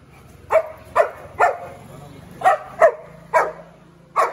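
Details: Dogs in a fight between a Pitbull from Delhi and a Labrador: seven sharp, harmonic barks in irregular bursts, some paired closely, others spaced about half a second to a second apart, over a low background hum.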